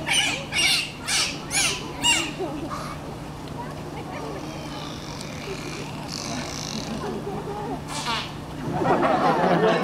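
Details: Two Pacific white-sided dolphins at Vancouver Aquarium in Stanley Park give a rapid series of harsh, squawking pulsed calls in a vocalization demonstration during a show, followed by crowd noise.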